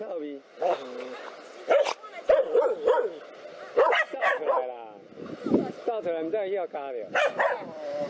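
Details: Two black dogs fighting a cobra give sharp, harmonic barks in irregular bursts, some rising into yelping tones, with voices mixed in between the barks.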